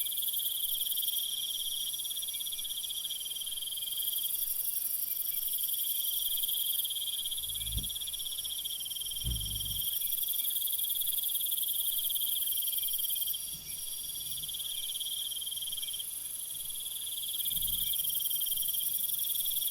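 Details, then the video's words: Crickets trilling through the night, an unbroken high shimmering chorus with upper layers switching on and off, plus a few soft low thumps. "Night Mood Crickets Sounds for Deep Sleep"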